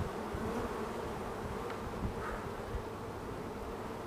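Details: Swarm of honeybees being caged: dense, continuous low buzzing hum of many bees, steady throughout with a few faint rustling knocks.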